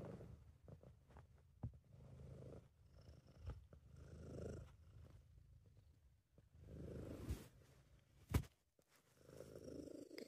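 A British Shorthair cat purrs steadily, a low rumbling vibration rising and falling with each breath.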